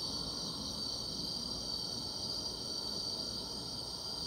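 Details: Grass insects on a summer night keep up a constant shrill hum with a faint higher shimmer, steady and unchanging over a few seconds.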